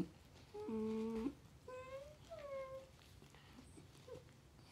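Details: Faye, a tricolor corgi puppy girl of 5 months, talking indoors: a steady, level, nasal whine, then two shorter gliding yowls that bend downward, and a soft final yip. Quiet room.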